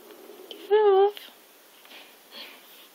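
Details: A pet cat named Zip, also called Mei Mei, refusing to give up a laptop perch indoors: one loud clear meow of about a third of a second with a slight wavering pitch, amid quiet room noise and faint rustling.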